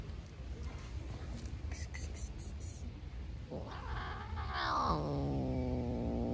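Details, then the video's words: Outdoor stray black cat, hungry and guarding food from a beige cat, ends with a rising then falling harmonic yowling growl in the last two seconds after quiet ticking and low background hum. "Hhungry black cat growls. The cat does not share food with the beige cat"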